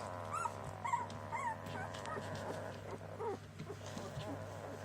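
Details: Border Collie puppies, a litter, giving thin rising whines and squeaks in short bursts, fewer and softer, over a steady low hum and faint background noise.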